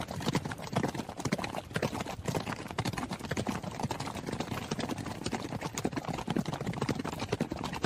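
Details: A horse on the run, heard as rapid clattering hoof impacts, busy and uneven, with deep thuds under sharper clicks and a rhythm of roughly two beats a second continuing without pause.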